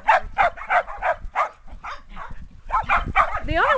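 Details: Shetland Sheepdogs, six 8.5-week-old puppies with adult dogs, romping outside in a yard after many days of bitter cold or wet weather, 2010; a quick run of sharp yapping barks, about three per second, then a pause and a burst of higher, whinier yips.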